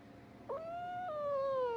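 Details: Domestic cat letting out one long drawn-out meow that starts abruptly, holds steady, then slides gradually lower in pitch, wail-like, over a quiet background.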